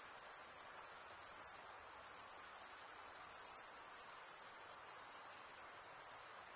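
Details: Continuous high cricket chirping made by stridulation of the males' wings, a shimmering rapid pulsed trill that dips briefly in loudness near the two-second mark, with light background hiss.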